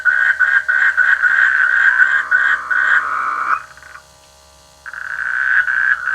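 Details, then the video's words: Frogs croaking in rice fields during the rainy season, a dense, rapid pulsing chorus of raspy croaks that runs almost unbroken, briefly drops out, then resumes loudly. "The sweet sound of frogs in the rainy season"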